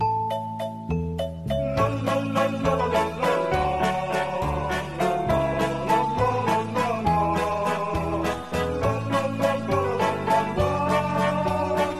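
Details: Bright mallet-percussion music with chiming glockenspiel-like notes and a steady bass pattern, with no animal sound.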